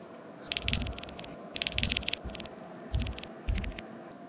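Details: Devon Rex cat chattering with its mouth on seeing crows, a machine-gun-like noise: four short bursts of rapid dry clicks, each under half a second, spread over about four seconds, with soft rustling between.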